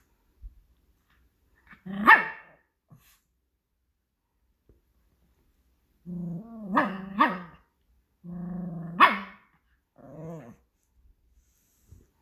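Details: Pomeranian dog vocalizing to ask for food, producing drawn-out, harmonic, talk-like whines and yowls that rise and fall in pitch: one near two seconds, then a cluster of four between six and ten and a half seconds, in a quiet room.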